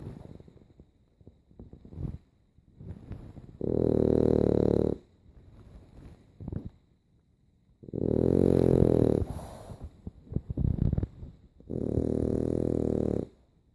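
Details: A French Bulldog snores in loud, rumbling bursts, each lasting over a second, with softer snuffly breaths between.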